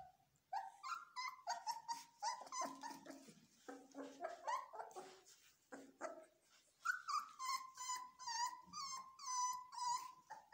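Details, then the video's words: Belgian Malinois puppies in training scream: a dense run of high, harmonic whining cries and yelps throughout, some sliding up and down, others held as drawn-out squeals, with barely a pause between them. "Malinois puppies scream"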